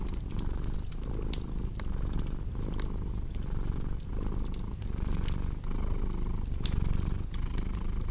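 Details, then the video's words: Soft rumbling purr from a cat, pulsing rhythmically with each breath, overlaid by crackling and popping firewood. "Purring Cat with Cozy Crackling Fireplace Sound"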